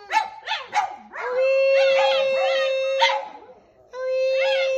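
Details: Singing dogs howl along to music: short rising-and-falling wavering howls in the first second, then more bending, quavering howl notes laid over a long steady sustained musical tone that stops briefly and resumes.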